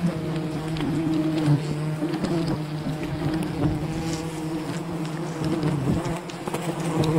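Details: Wild bee colony humming during honey harvesting, a constant deep buzzing drone with layered overtones, occasional rustles and knocks in the background.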